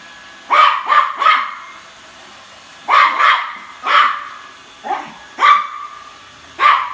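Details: Bentley, a Toy Poodle, barks at a new Roomba robot vacuum out of sibling rivalry. Sharp, mid-pitched barks come in a quick burst of three, then a pair, then single barks about a second apart, eight in all.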